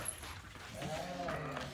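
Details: Pregnant ewes newly arrived among the flock: a single drawn-out, harmonic bleat starts about halfway through, holding a steady nasal tone for roughly a second over low background hum and faint murmuring.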